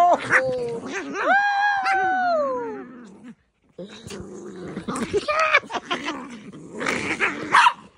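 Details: Pet dogs, a poodle and a Maltese, in a scuffle: a drawn-out whining cry that rises and then slides down, then short growls and yips, with a person calling out and laughing over them.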